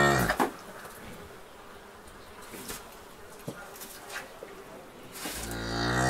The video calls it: Cow sound - cow videos